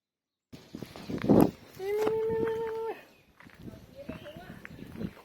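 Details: One flat, sustained meow lasting about a second comes from a hungry three-year-old male cat. A loud thump comes just before it, and outdoor rustling and handling noise follow.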